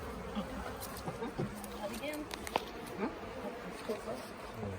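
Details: Late-year honey bee swarm handled at the Tamarind Tree Hotel as the bees are scooped toward a nuc box. Several short, wavering buzzes of individual bees flying close sit over the massed hum, with scattered clicks and handling knocks.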